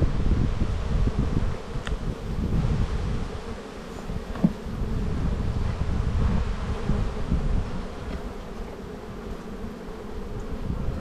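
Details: Spring buildup in an Australian apiary, frames of brood being checked in the black hive: a continuous honey bee hum with a buzzing overtone, a few brief individual bee passes, and low wind noise.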